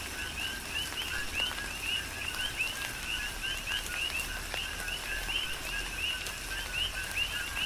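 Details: Coqui frogs on Hawaii's Big Island calling together in tropical rain, continuous rhythmic chorus of short low notes and upward-sweeping chirps repeated by many frogs, with rain pattering and occasional drips.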